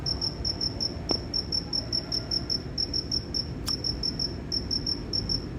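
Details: A cricket gives crisp, high chirps at an even pace, about four per second, with two sharp clicks interrupting the rhythm and soft low noise behind.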